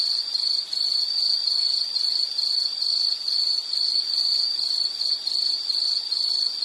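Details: A nature-sound insect recording meant for relaxation: shrill, high, continuous chirring pulsed in quick bursts about twice a second, with a faint brief dip in loudness near the start.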